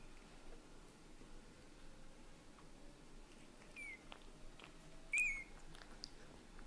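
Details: Domestic cats indoors, with daddy cat Leo, a British Shorthair, getting used to kittens little by little: one clear, high thin mew sliding downward near the end, preceded by a fainter mew, over a quiet room hum.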